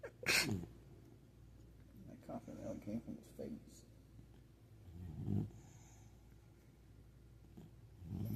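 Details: Beebo, a male puppy, sleeps comfortably indoors and snores: a sharp snorting burst at the start, then rough, low, rattling breaths around the middle and again near the end, spaced a few seconds apart, in a quiet room.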